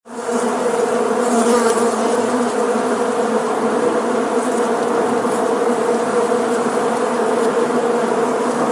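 A dense, steady buzz from a honey bee swarm, many wingbeats blending into one low droning hum.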